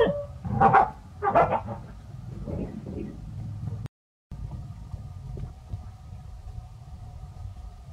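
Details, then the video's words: Pao and Rank, village dogs, bark in earnest after meeting a snake; two sharp, rough barks about a second apart open the passage, followed by quieter rumbling background and a brief dropout. "Pao & Rank Are Barking Seriously"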